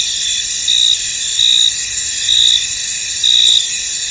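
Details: Crickets chorusing in a misty, foggy field: a dense high-pitched trill runs continuously, with louder chirp bursts rising above it roughly every second, unevenly spaced.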